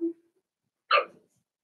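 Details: Cavalier King Charles Spaniel puppy, one of four-week-old puppies in a pen, with a single short yelp after a brief low whine, then silence.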